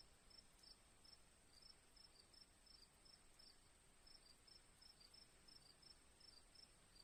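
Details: Crickets in a relaxing nature recording with birds and softly dripping rain water: short, high chirps repeated steadily about three or four times a second over a constant high hiss and faint low rumble.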